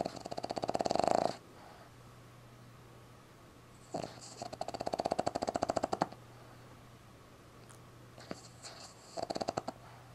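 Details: A sleeping Boston Terrier puppy, tongue out, snores in rattling, buzzy bursts, each breath a rapid string of throaty pulses.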